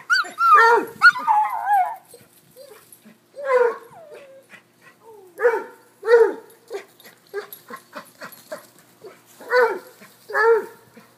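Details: Cocker-hound, Basset and corgi dogs playing chase together; loud yelping barks with bending, whiny tones come in bursts roughly every second or two, with short quiet gaps and faint clicks between.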